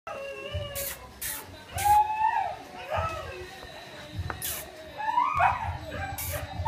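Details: Two-month-old male and female Bulldog puppies imported from Ukraine; several thin, high whines and yelps overlap, sliding up and down, mixed with scattered clicks, rustling and bursts of background noise.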